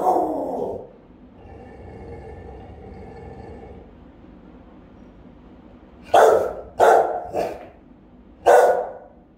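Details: Guarding the house, a Rottweiler gives one deep bark, then a soft droning hum, then a burst of three rapid booming barks and a final bark, recorded by a house camera.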